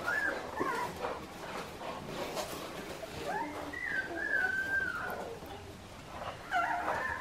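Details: Young Australian Shepherd puppies of Clementine's litter on an Oklahoma farm whine softly, with thin, sliding whimpers that swoop and trail off, overlapping faintly amid low indoor rustling and hiss.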